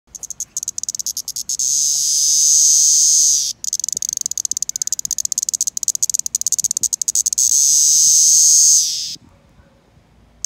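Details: Cicada singing: bursts of rapid clicking pulses build into a steady, high, shrill buzz lasting about two seconds, then break back into fast ticking before a second sustained buzz ends abruptly in near silence.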